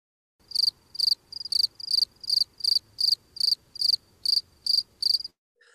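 A field cricket chirps steadily, each short pulsed chirp bright and high, repeated more than twice a second.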